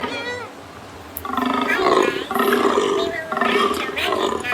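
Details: Cow calling with loud, harmonic moos that waver in pitch: a short call near the start, then longer bellows running through the second half.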